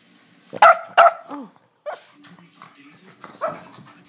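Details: A Boston Terrier gives two sharp, loud barks and a short whine, begging for its dinner as its owner asks if it is hungry; April 2013.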